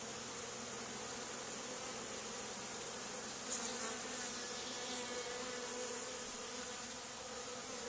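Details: Swarming honey bees gathered on an old barn wall where a hive had been removed two days earlier. A steady, dense hum of many wings holds evenly throughout, with a brief louder swell midway.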